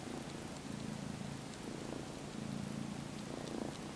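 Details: A young domestic cat, sleepy and snuggled on faux-fur fabric, purrs steadily while mock-nursing on the fur, kneading with his paws, in a low rumbling vibration that pulses with each breath.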